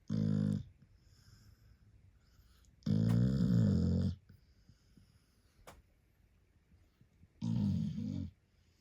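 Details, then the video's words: Sleeping puppy snoring loudly: three long, rough, low droning snores, each lasting about a second, separated by quiet pauses of two to three seconds. "Puppy SNORING 💤 like a DRUNK PERSON"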